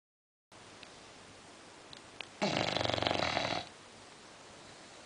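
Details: Female English Bulldog asleep indoors lets out a single rough, rasping snore lasting about a second after a stretch of near silence.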